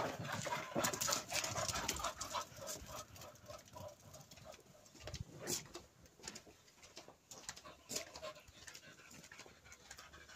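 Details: Cocker Spaniels at a jubilee garden party pant rapidly with breathy huffs and a few soft whimpers, close to the microphone.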